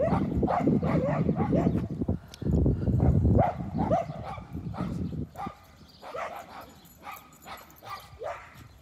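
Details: Dogs barking while chasing a baby donkey: a run of rough, harmonic barks in quick succession over the first five seconds, then fainter, scattered yips and thin barks trailing off.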